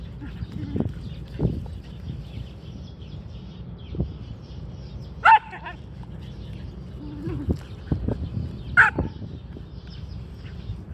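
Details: Happy whippet giving a couple of short, sharp barks a few seconds apart over low rumbling background noise and thuds, with long quiet gaps between them.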